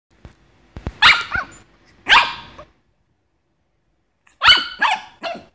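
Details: Smooth Brussels Griffon dog barking: sharp, high bursts in two quick pairs near the start, a pause of about two seconds, then a rapid run of three barks, on a quiet indoor background.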